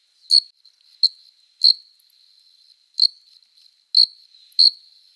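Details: Male cricket's courtship stridulation on a summer night, made by rubbing the forewings together; six sharp high chirps spaced roughly every half second to a second, with a faint steady trill between them.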